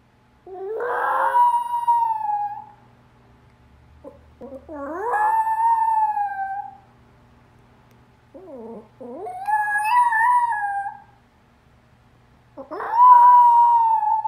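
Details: A Pomeranian "sings" after watching a YouTube video for dogs, howling in long, wavering notes that each rise then hold steady, with short pauses between.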